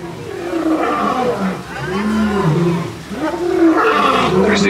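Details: Lions roar loudly at Disney's Animal Kingdom in Orlando, Florida, in deep, drawn-out moaning swells that rise and fall, with people talking nearby.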